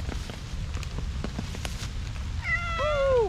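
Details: Stray cream tabby kitten walking alone in a forest in Japan during the rainy season, in heavy rain, answering when spoken to: steady rain patter, then one clear, drawn-out meow that rises briefly and falls.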